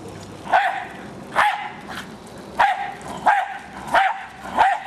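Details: A pet Jack Russell Terrier named Hali attacks a remote-controlled car, giving six sharp, high barks spaced under a second apart over a low background hum.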